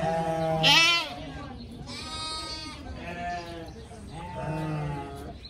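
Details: A loud, shrill bleat opens, followed by softer, drawn-out quavering bleats from a group of playful pygmy goat kids, with human voices and a low hum in the background.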